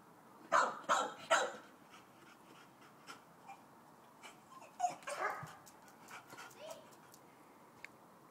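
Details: Pet Chow Chow barking at a neighbouring dog: three loud, rough barks in quick succession open the clip, followed by a string of softer, scattered barks and yips over the remaining seconds.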